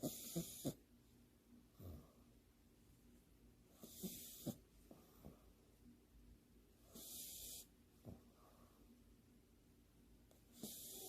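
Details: French Bulldog named Leo asleep on its back with paws together, eyes open, half-asleep; soft rasping snores with broad noisy bursts recurring every few seconds, short snorts between.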